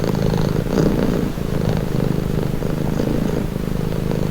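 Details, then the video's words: A cat purrs in a deep, vibrating drone, its rhythm alternating between breathing phases about once per second, fairly even in loudness throughout, with nothing else clearly audible. "Purring cat"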